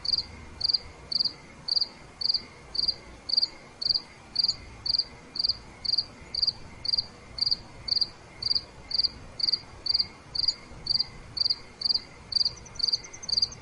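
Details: Nighttime cricket chorus with evenly spaced bright chirps, roughly two per second, continuing without pause; a faint higher rapid trill enters near the end.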